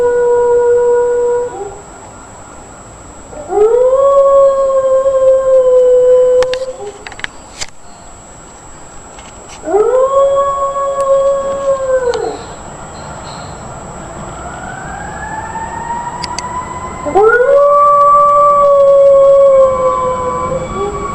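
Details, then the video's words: Dog howling loudly in three separate long howls about seven seconds apart, each rising sharply at the start and then holding a level tone for two to three seconds; a fainter upward-sliding howl is heard between the last two. "HERMOSOS PERROS AULLANDO FUERTE | dogs howling"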